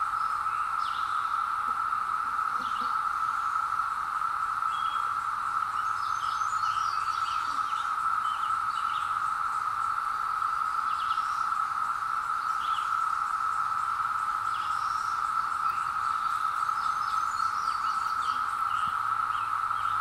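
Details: Woodland chorus of periodical cicadas out after 17 years, captured on a hill with a Zoom H2: a steady, wall-like drone runs the whole way without pause, dotted with brief high bird notes.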